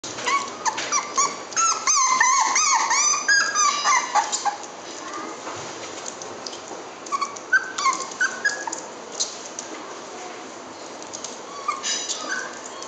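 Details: Corgi whining and yelping excitedly, a dense run of high, wavering, rising and falling whimpers and squeaky yips, loudest in the first four seconds, then scattered shorter whines and yelps.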